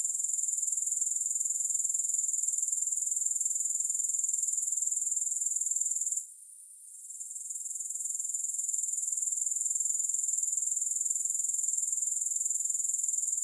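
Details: Steady high-pitched grasshopper stridulation, a rapid metallic pulsing trill that holds at one level. There is a brief dip into near silence just past six seconds, then a slow return to the full, unbroken chorus.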